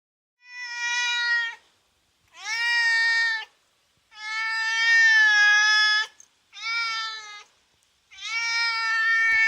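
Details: Cat meowing at a window, eager to catch a cicada outside: five drawn-out, rising-then-level meows, each about a second long, with short pauses between them.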